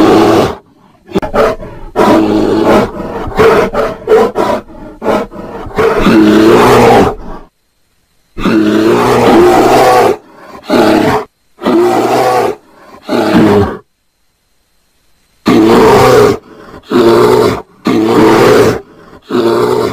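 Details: Roaring bear during mating, with dense clusters of coarse growls and roars separated by two clear silent gaps, each burst harsh and low-pitched.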